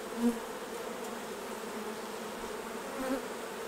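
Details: Honey bees at their hives during a honey harvest as the honey is taken off: a steady, low droning hum from many bees, with two brief faint tonal blips near the start and end.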